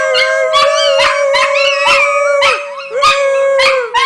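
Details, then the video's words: Pet dogs howling together, described as singing: a steady sustained tone overlaid with wavering, rising and falling higher howls and short yips, loud and continuous throughout. "Howling Dogs"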